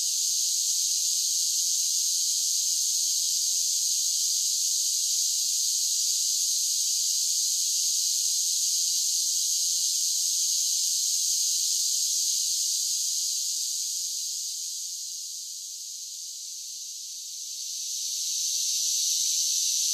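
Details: Cicadas singing in summer: a dense, steady high-pitched buzzing drone that holds evenly, then softens around fifteen seconds before swelling back to full strength near the end. No other sounds stand out.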